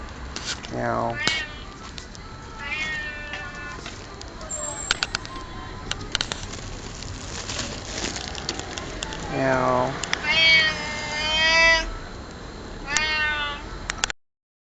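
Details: A fat cat being talked to at a Lawson store, October 2007, gives a series of drawn-out meows, some rising sharply then falling, mixed with human speech and clicking noises in the background.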